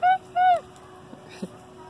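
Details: Arctic fox at the Columbus Zoo & Aquarium gives two short, clear, high squeaks a quarter-second apart, the second bending downward at its end, followed by faint soft taps and quiet room noise.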